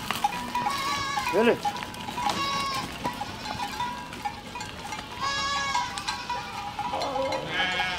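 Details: Herd of goats moving through a village, several drawn-out quavering bleats, one sharp downward cry early on, others overlapping in the middle and a final wavering bleat, with a faint steady tone behind.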